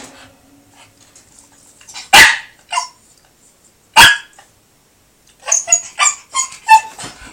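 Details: Shiba Inu named Sora, eager to play with a cat, gives two sharp, loud single barks about two seconds apart, then a quick run of higher yips and whines, with quiet indoor background.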